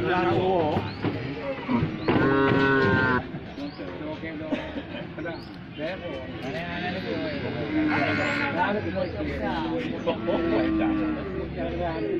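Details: Cow with a broken leg after a car struck it, struggling to stand once down, lets out a loud moo early on, then quieter moaning calls amid busy background noise.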